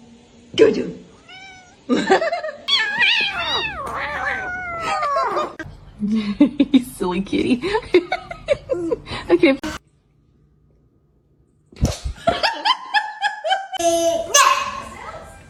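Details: Pet cat giving a run of short, bending meows mixed with people talking and laughing. A brief silence falls midway, then more quick, wavering cries and voices return.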